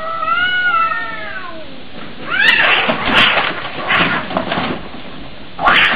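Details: Cat giving a drawn-out, tonal meow with rich harmonics that wavers and then falls away, followed by rougher, noisy bursts of sound.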